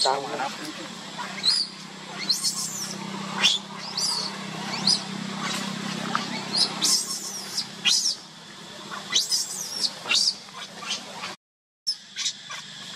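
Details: Baby monkey crying after being left alone by its mother: repeated shrill, wavering high screams in short bursts every second or so, over a steady low hum and background talk.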